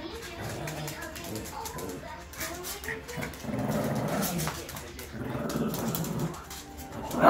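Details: Two Shih Tzus, a 3-month-old puppy and a dog of about 10 years, grumble, whine and yip while playing, ending in a sharp yelp, with human voices nearby.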